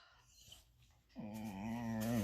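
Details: Mouthy five-month-old female Rottweiler puppy sulking at her owner for painting a puppy statue: after quiet background, a low, throaty, voiced grumbling moan starts suddenly and holds for about a second, wavering and slightly rising in pitch.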